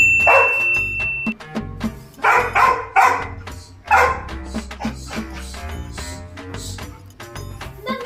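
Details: Labrador Retriever puppy, jealous of a neighbour cat and angry over sharing an egg, gives a few loud sharp barks in quick succession over steady background music.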